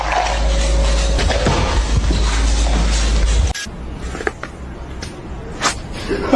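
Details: Loud music with a heavy low drone cuts off abruptly, followed by scattered thumps and knocks in a quieter room.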